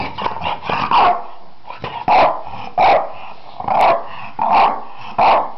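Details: Hugo, a Finnish French Bulldog, barking in short hoarse bursts, about seven in quick irregular succession, mixed with throaty growling between barks.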